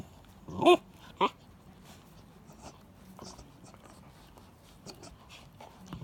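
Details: Akita dogs indoors squabbling over a turtle bone meant for the mother Jun, with Ten-chan and Gin trying to keep it; two sharp, harsh snapping snarls burst out early, then only quiet rustling and soft shuffling follow.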